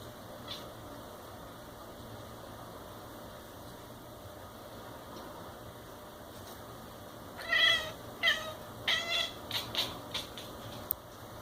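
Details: Domestic cat making strange sounds as it watches a fly: after quiet, a rapid burst of stuttering harmonic chirps in quick succession over about three seconds, bright and trilled, with faint room hum.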